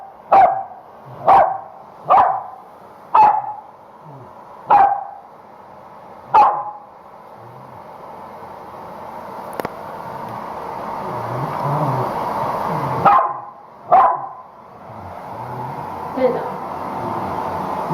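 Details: Home-shampooed female Corgi barking at the hair dryer, which she hates most; six quick barks early, a pause filled by loud dryer noise, then two more barks and a softer one.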